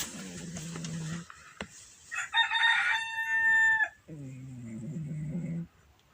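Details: Shakirah the cat snoring loudly: two drawn-out, low droning snores of about a second each, separated by a louder, brighter, higher-pitched sound in the middle.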